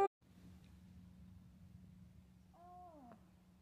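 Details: A grumpy, angry Lynx Point Siamese cat gives a brief, grumbling meow that holds steady, then slides downward.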